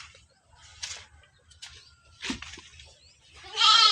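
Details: Penned goat giving a single harsh, loud bleat at the very end, preceded by quiet rustling and faint background voices.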